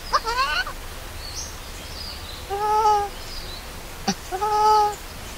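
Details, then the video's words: Hungry baby monkey Lori, abandoned by its mother, gives three loud arched cries: a wavering opening wail, then two steadier tonal cries separated by a sharp click, with faint high chirps in the background. "CRYING SO LOUDLY AND ANGRY MOMMY LEAVE BABY ALONE"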